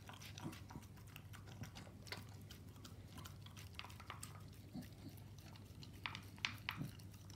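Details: Indoor meal of raw meat and dog food for a Staffordshire Bull Terrier: rapid moist chomping and crunchy bites, a few sharper clacks near the end, over a constant low electrical hum.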